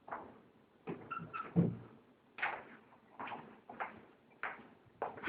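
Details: Wawa, a pug, snoring while asleep: short snorting, rasping snore bursts repeated roughly every half to one second, some louder and sharper than others, in a quiet room.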